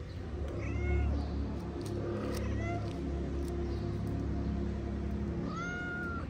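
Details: Homeless cats in Morocco, mother cat feeding while her kittens play-fight on a wooden house; clear, high, drawn-out meows at intervals, each rising then falling, over a background of distant road rumble.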